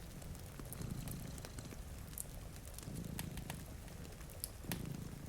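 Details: Low throbbing purrs from two sleeping cats by a rain-streaked window come in three slow swells, layered with snapping fireplace crackle and soft rainfall.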